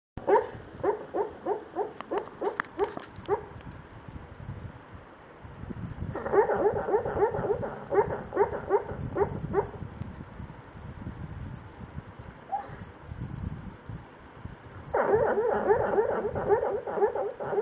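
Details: Buster, a dog, dreaming in his sleep: bursts of rapid, soft muffled yips and whimpers in quick runs, with pauses of breathing between the bursts.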